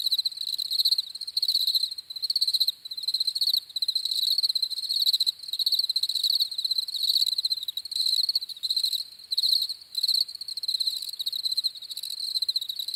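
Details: Several crickets chirp in an unbroken, shrill pulsing trill with occasional short breaks and slight swells in loudness, no other animals or noises heard.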